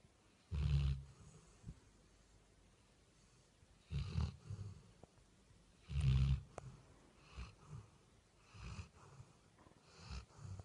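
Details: Labrador Retriever named Vini snoring loudly while sleeping on a bed at home; deep rumbling snores at irregular intervals, strongest bursts near one, four and six seconds, followed by softer breaths.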